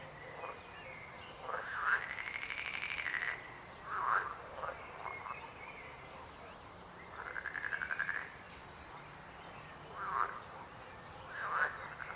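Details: Frogs calling: a drawn-out pulsed rattling croak, then several short knocking croaks, a second rattle and more scattered single croaks over about twelve seconds.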